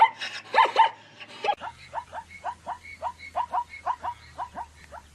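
A zebra gives a rapid string of yelping, dog-like barks, each note short and repeated several times a second.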